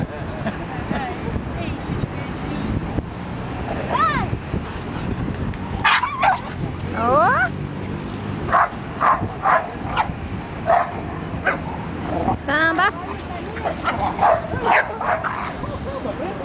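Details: A Border Collie named Samba playing on the beach gives a run of sharp barks and higher yips in short bursts, clustered in the second half, over a constant roar of wind and surf with human voices mixed in.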